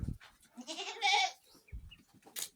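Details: Hungry herded goats back home at the farm, one giving a nasal quavering bleat of nearly a second that swells then breaks off, between thumps, rustles and brief voice fragments.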